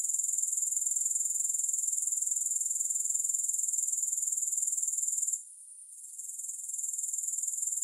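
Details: Continuous high, thin, fast-pulsing grasshopper buzz with no music. It runs steadily for over five seconds, drops away briefly, then returns at full level.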